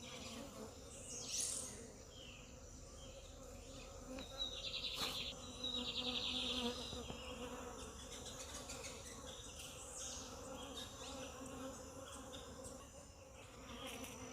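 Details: Honey bees buzzing close by, a steady low droning hum with layered overtones that swells and fades for the whole stretch, while high thin bird chirps and sweeping calls ring out over the top.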